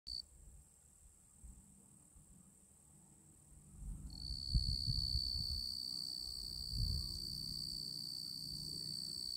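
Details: A male tree cricket (genus Oecanthus) sings a steady, pure, high-pitched trill that runs on without a break.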